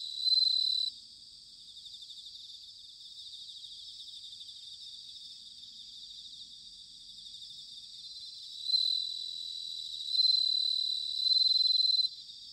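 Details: Bell crickets in autumn at Sanuki, Chiba Prefecture, Japan: loud clear ringing trills open the recording, a quieter steady insect chorus follows, then three more bright bursts return toward the end.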